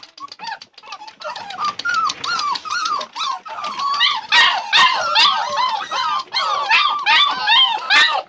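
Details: Labrador Retriever puppies whimper with repeated curved, squeaky cries, starting sparse and soft, then growing louder and more crowded as several pups overlap. Clicks and knocks come through between the calls.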